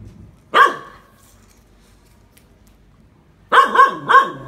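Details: Phu Quoc Ridgeback dog training to catch snakes: a single sharp bark, a pause of nearly three seconds, then a rapid burst of three barks; little else audible.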